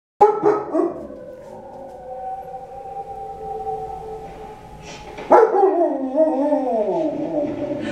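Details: Dogs howling while watching Doctor Zhivago: a long sustained tonal howl with rich harmonics that slowly sags, then a second louder howl bursts in and bends downward in wavering tones.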